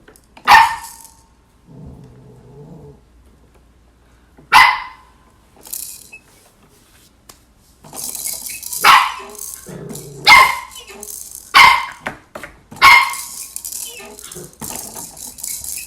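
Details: Shetland sheepdog, a female, barking at her own reflection: sharp, loud single barks spaced irregularly, several seconds apart at first, then coming faster, about every second or so, with a low grumbling growl between some barks.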